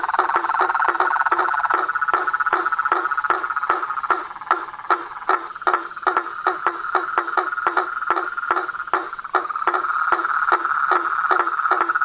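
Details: Nighttime-style nature chorus of frogs: rapid tapping croaks in irregular bursts over a sustained mid-pitched trill, with a thin high insect whine running throughout.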